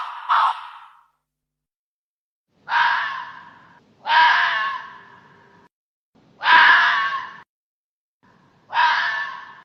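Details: Hoary fox, known locally as raposa-do-campo, giving five harsh, raspy calls with a strong harmonic band. The calls are spaced irregularly about one to two seconds apart, with silence between them and no other sounds.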